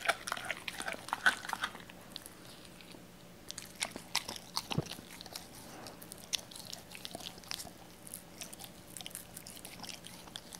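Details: Indoors, a Doberman called Cola works on raw chicken, pieces torn at the joints for him. Soft clicking bites and moist chewing sounds run continuously over a faint room hiss, with a denser cluster in the first two seconds.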